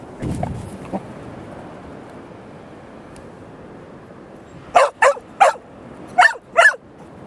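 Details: Two-year-old male Cardigan Welsh Corgi on a beach holiday at Terschelling, the Netherlands, in July 2011. After a quiet stretch, five sharp, loud barks come in quick succession with brief gaps, over faint background noise.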